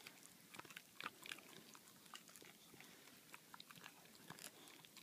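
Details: Baxter, a boxer dog, gnawing on a bully bone indoors; irregular soft crunches and clicks of biting and chewing, some in quick bursts, with no other sounds.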